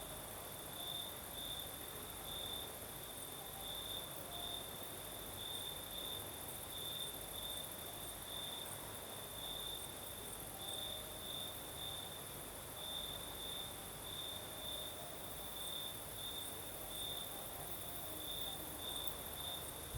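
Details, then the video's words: Crickets singing at night in the south of Crimea with a night breeze: a steady, high, shrill chirping pulses without pause for the whole stretch, over a second, even higher continuous hiss and a soft airy background. "Сверчки поют"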